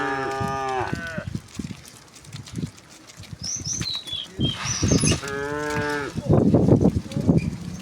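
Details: Tame cows driven home through a village to the pen each afternoon; a falling moo opens, a second rich moo follows later, with scattered bird chirps and trampling footsteps between.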